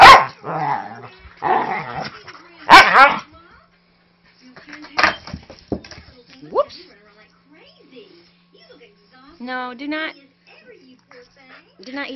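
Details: Vocal 5-year-old Manchester Terrier mix at play with a young husky lab mix puppy; a few loud gruff barks and growls at the start, followed by softer whiny yips and a person talking.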